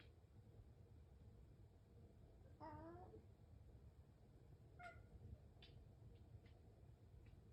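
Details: A house cat waiting for its morning breakfast utters one short, harmonic meow that wavers slightly, followed by a few faint clicks and taps in a quiet indoor room.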